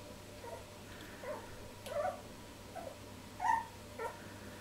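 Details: Litter of three-week-old Jack Russell Terrier puppies tasting each other; a series of soft, short whimpers and squeaks spaced roughly every second, rising slightly at the end, with a faint background hum.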